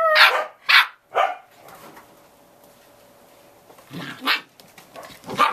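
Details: Samoyed puppies, eight and a half weeks old, four littermates playing outdoors on a deck in early November after a heavy rain ends. Three sharp, high yapping barks open, then a quiet pause, then two more barks and a final yap.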